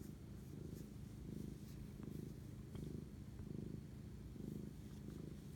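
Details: Cat purr during night-time bonding at 11:07 pm, 25 March 2019: a deep buzzing rumble swelling in slow waves, each inhale-exhale cycle clearly audible, with light ticking noises.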